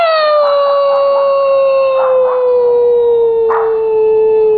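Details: Pet Siberian Husky, one of three coaxed to howl on cue, giving a sustained howl that glides slowly downward over several seconds, with brief higher yips or voices breaking in alongside.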